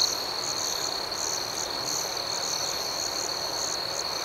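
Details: A nocturnal cricket chorus: a bright, constant high trill with a higher pulsing shimmer repeating roughly twice a second, steady throughout with a quiet hiss beneath.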